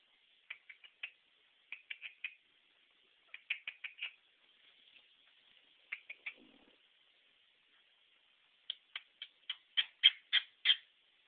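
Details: Stinky, a pet guinea pig, squeaking in short high bursts grouped in threes and fours with pauses between groups, ending with a run of six louder, sharper squeaks; a faint low rustle midway.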